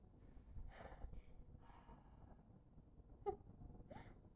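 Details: A Pekingese, irritated, lets out soft, breathy sighs and puffs of air, with a brief nasal squeak near the end.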